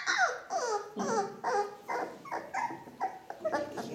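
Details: Ca de Bou puppies, four weeks old, from the litter of Bea and Bubu, indoors: a run of high, falling whines and squeaks about every half second, repeated through the stretch, with faint noise in the room.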